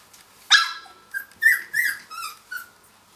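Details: Finnish Lapphund puppies, three weeks old, at play after breakfast: one sharp yelp opens, followed by four or five shorter squealing yips with rising and falling pitch.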